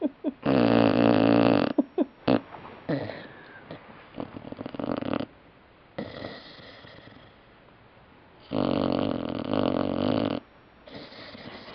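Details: Puppy named Sylvia snoring while she sleeps: long raspy snores lasting over a second, with quieter stretches of soft breathing and a few short snuffles between them.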